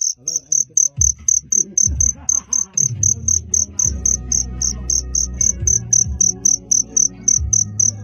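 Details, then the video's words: A cricket at night in Phteah Prey gives high, shrill chirps in a steady series, about four each second. "The Sound of Cricket Chirping is amazing"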